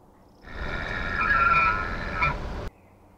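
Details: Elk bull at night, in a rut face-off as the Sheriff, the largest bull, meets a challenging bull with several other bulls nearby; a high, whistled tone with strong harmonics is held about two seconds, swelling slightly, then cutting off abruptly.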